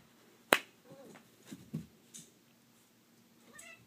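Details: Tabby cat playing fetch indoors gives brief soft chirping meows, a couple of short arched calls early on and a higher rising trill near the end, following a sharp snap-like click.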